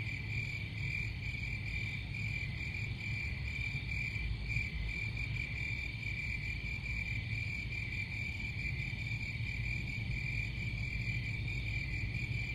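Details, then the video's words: Crickets keep up an unbroken, high, rapidly pulsing chirp chorus at constant pitch, with faint higher tones above. A low, even background rumble runs throughout. "Crickets Sound"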